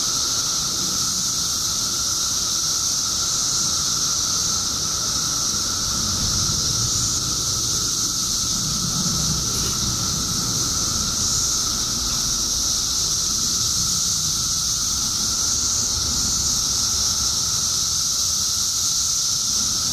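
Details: Periodical cicadas in Illinois, out in the billions after 17 years underground, fill twenty seconds with a dense, unwavering shrill chorus over a thin steady lower tone, with a faint rumble in the middle.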